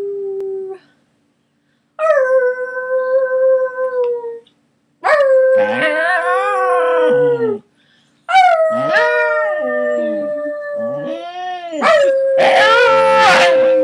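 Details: Scottish Terriers, three pets, howling together for the first time; drawn-out level howls broken by brief pauses, overlapping wavering voices and a few sharp yips near the end.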